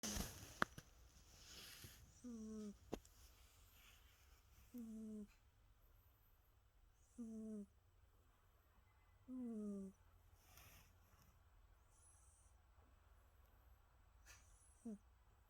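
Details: Jasper, a pet cat, snoring while asleep: soft whistled, falling nasal tones with breathy hiss, repeated roughly every two to three seconds, with a few faint knocks and rustles between breaths.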